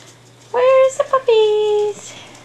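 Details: Staffordshire Bull Terrier puppies, Jenny's litter, aged five and a half weeks: two drawn-out, steady, high-pitched whines, the second longer and slowly falling, over a faint low hum.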